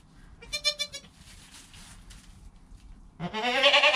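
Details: Newborn goat kid Joel, within an hour of birth, beside his calm mother Penny, recorded on a GoPro: a short quavering harmonic bleat, a quiet pause, then a louder, strained bleat that rises and holds at the end.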